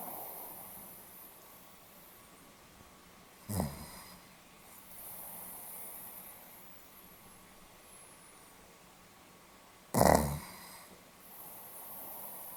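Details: Pomeranian dog snoring, recorded 8 November 2015: two short, rough, breathy snorts about six seconds apart against a quiet, hissy room background.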